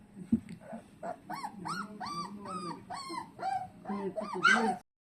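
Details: Golden retriever puppy howling: a run of about eight short, rising-then-falling whiny howls roughly every half second, ending in a higher, louder cry.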